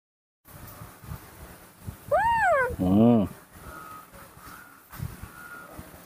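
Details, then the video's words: Baby monkey, a young female being hugged and getting angry in a tantrum: a loud arched squeal falling in pitch, then a harsh lower buzzing cry, with people talking softly around it. "tantrums‼️baby monkey Nomi always gets an gry when I hug her"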